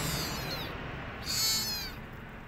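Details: Lonely rescued kitten missing its mother cries twice in quick succession, each meow a short, shrill, wavering note, the second louder, against faint background hiss.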